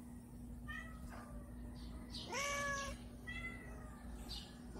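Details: Several domestic cats meowing for food in the morning routine, hungry; a few short harmonic meows, one longer rising-then-level meow in the middle, over a steady low hum.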